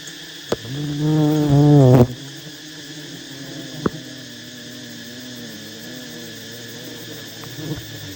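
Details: Wild honey bees at a giant nest being harvested by honey hunters. A loud, steady, low droning hum with wavering overtones swells for about a second and a half, then cuts off abruptly, leaving a faint background hum and occasional sharp clicks.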